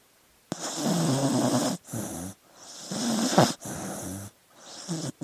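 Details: Dog snoring while asleep: loud raspy rattling breaths, each about a second long, in an uneven sequence of four with short quiet gaps between them.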